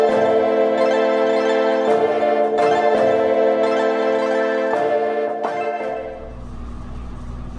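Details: Sustained organ-like music with steady harmonic tones and regular chord changes, with no animal voice. Near the end the music fades into a low background hum.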